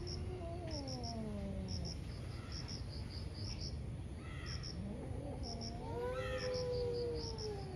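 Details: Angry cats in a morning fight: a descending yowl, then after a lull another warbling wail rising and holding, plus short harsh bursts, over rhythmic cricket chirping and low noise.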